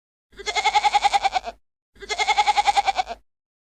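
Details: Goat bleating twice, each call a nasal, strongly pulsed maaa about one and a quarter seconds long with a rapid quavering tremble throughout, separated by a short silence.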